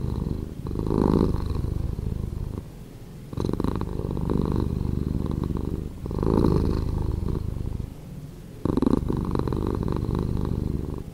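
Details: Purring cat, slowed, with a low vibrating drone alternating between louder and softer stretches roughly every two and a half seconds, like slow inhale and exhale cycles.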